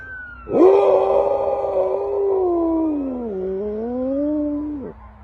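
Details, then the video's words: Dog making strange noises: one long, drawn-out, tonal moan lasting about four seconds, holding level, then dipping lower and rising again before cutting off, in a quiet indoor setting. "The dog made strange noises"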